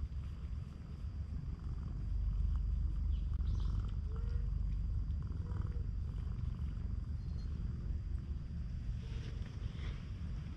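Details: Stray cat on a cat island, friendly and affectionate, gives a strong low vibrating purr that swells after a couple of seconds. Soft, brief mid-pitched tones sound faintly behind it.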